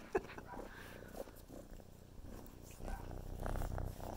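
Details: Kitten purring while playing with the camera indoors: a low, steady rumbling purr throughout, with soft handling noises and brief human speech in the background.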